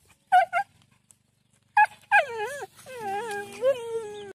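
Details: Siberian husky vocalizing: two short sharp yelps, a pause, then a long wavering whine-howl whose pitch bends up and down before sinking into a drawn-out lower moan.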